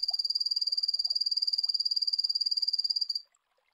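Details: Poison dart frog from the warm rainforests of Central and South America calling: a fast, even, high-pitched buzzing trill of about 45 pulses over three seconds, then stopping abruptly. No other sounds.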